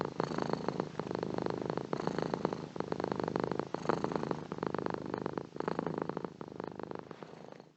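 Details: A cat's deep, rattling purr, repeating in even breath-length waves, the rumble strengthening and easing in turn, slowly fading at the close.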